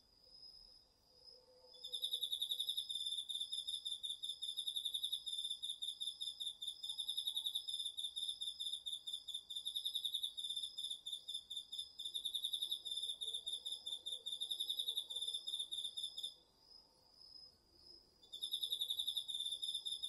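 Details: Autumn crickets among other insects singing at night in a garden vegetable patch, recorded with a DR-40X: bright, high pulsed trills in long runs with brief pauses, a second steady high tone beneath, and a quiet, otherwise still background.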